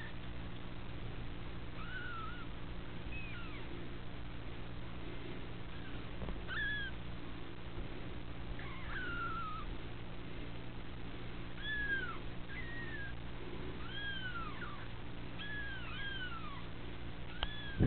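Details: Repeated short, arched mews from a litter of female kittens at the Felis Anatolia Cattery, scattered across the whole stretch, sometimes overlapping as if from more than one kitten, with low steady hum behind.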